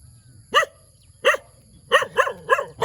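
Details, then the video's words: Puppy barking in the morning: five short, sharp barks, two spaced about a second apart, then three in quicker succession near the end, over a quiet background. "เสียงหมาเห่า หมาน้อยน่ารักเห่า ตอนเช้าๆ"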